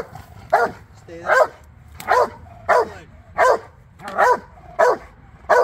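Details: A Rottweiler in foundation bite work training for personal protection barks in deep, forceful bursts, about one bark every second, steady and insistent.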